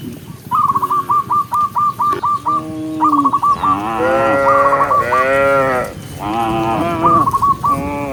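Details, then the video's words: A rapid run of repeated chirping notes opens the clip, then tame cows running happily down a green hill while being herded break into overlapping, drawn-out, wavering moos. "cow sound cow Moo"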